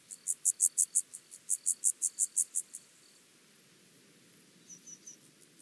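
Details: Penumbra grasshopper, Chorthippus vagans, recorded at Mörnsheim, Germany, on 14 July 2023: a short series of about a dozen sharp, high rasping pulses, followed by near silence and a few faint, thin ticks.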